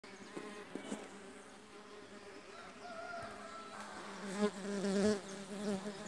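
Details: Mandaçaia stingless bee foragers arriving for the first time at a new hive box holding two brood discs taken from another colony; a low droning buzz with wavering pitch as bees pass close, swelling near the end, with faint knocks.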